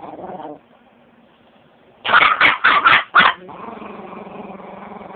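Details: Quiet hum, then a Chihuahua lets out a rapid burst of five sharp, yappy barks in just over a second before the steady hum returns.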